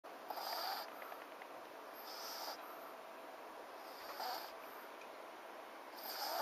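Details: French Bulldog named FICA snoring in its sleep: raspy, hissing breaths swelling about every two seconds, each lasting roughly half a second, over a quiet steady background hum.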